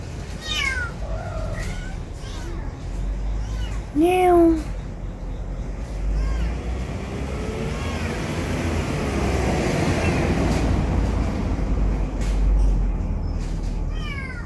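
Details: Neighbourhood stray cats, 2019, captured on a Samsung Galaxy S9+: a flurry of short meows early, one loud bent meow at four seconds, then a long stretch of traffic noise before a final faint meow.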